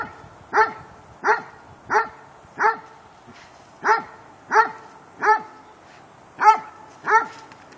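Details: Dogs playing: one dog barks steadily, ten sharp, mid-pitched barks spaced well under a second apart with a brief pause near the sixth second, in a quiet setting.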